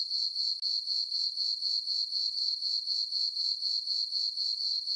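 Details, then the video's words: Chirping crickets on a calm summer night in a farm meadow lit by a full moon: a constant high-pitched trill, rhythmically pulsing about four times a second, heard alone. "Cricket chirping sounds for sleeping"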